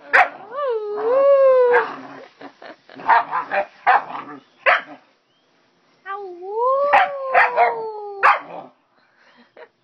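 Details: Playful house dog barking with its owner: long rising-and-falling howling whines mixed with sharp barks, a brief silence, then another sliding whine broken by more barks, with occasional human speech.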